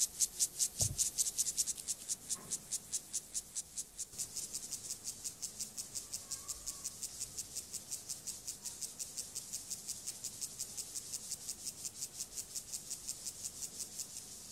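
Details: Gomphocerus sibiricus, an acridine grasshopper, stridulating during sexual behaviour: a dense, high, hissing train of rasping pulses, about two and a half per second, louder and more spread out at first, then steady and softer.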